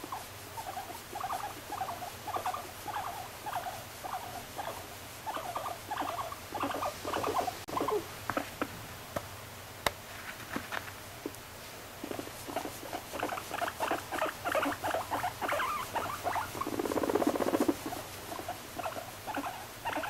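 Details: A female pet guinea pig gives irregular short, buzzy pulsed calls with gaps between them. The calls grow denser toward the end, with a louder blurred burst near the close and a sharp click near the middle.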